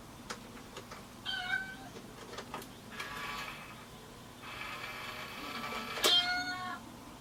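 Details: House cat meowing repeatedly: a short wavering cry, then two longer plaintive meows, the last starting with a sharp knock, with light tapping and clicks between calls.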